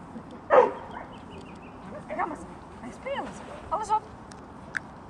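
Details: Gizmo and Indy, dogs on the grounds of the Sint-Bavo dog training school in March 2014: one sharp, loud bark near the start, then softer short yelps and whiny tones mixed with human voices talking.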